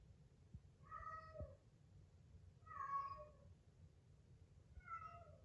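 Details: Stray cat cared for in a countryside yard, wailing each day for its companion after neutering; three clear, drawn-out meows about two seconds apart, each sliding slightly downward, over a steady low hum.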